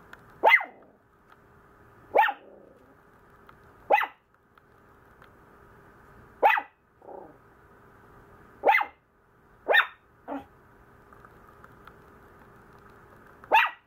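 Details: A grumbling Maltese pup barks in short sharp bursts every one to two seconds, eight in all, with a low growly grumble between some of them and a constant faint background hum.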